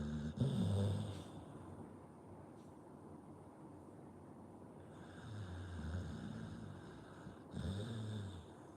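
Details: Sleeping Pit Bull dog snoring: low rumbling snorts near the start and again around the fifth and seventh seconds, with quieter breathing between, over a steady background hiss.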